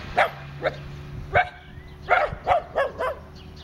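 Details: Italian Greyhound Dasher racing and chasing with his two visiting sisters, with a neighbour's wood chipper running nearby; about seven short, sharp barks and yips come in rapid succession, several close together, above a low droning machine hum.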